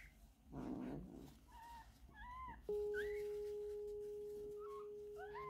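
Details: Stray mother cat that gave birth to four kittens after being taken in off the streets of Istanbul. Short, high, rising-and-falling mews repeat through the clip. A rustling burst comes first, then a loud steady tone hums beneath the later cries.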